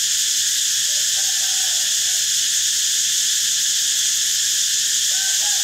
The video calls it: เสียงจักจั่น Cicada sound